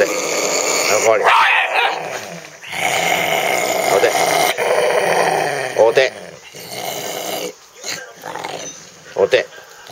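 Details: Chibi, a Shiba Inu dubbed a devil Shiba and featured on the TV show Unbelievable, gives long, harsh, rumbling snarls in drawn-out stretches broken by brief pauses, while a person talks over the dog.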